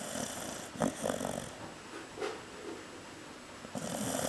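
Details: Cocoa, a female Chow Chow, asleep and snoring lightly indoors; soft raspy breathing bursts near 0.8, 2.2 and 3.8 seconds, with steady hiss behind.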